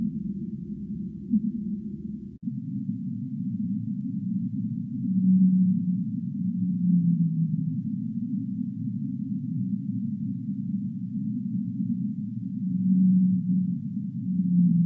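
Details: Singing humpback whale, drawn-out low moans rising out of a constant deep hiss, some slightly falling at the end, spaced several seconds apart after an abrupt shift in the background noise.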